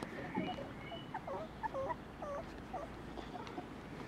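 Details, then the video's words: Border Collie puppies, non-LOF, from the Glycine and Lixie litters at the Domaine des Tourelles farm. Soft, squeaky whimpers, short bent notes repeated several times a second, over a low steady background hum. "Chiots Border Collies non LOF des Tourelles - Douce vie des chiots de GLYCINE et de LIXIE"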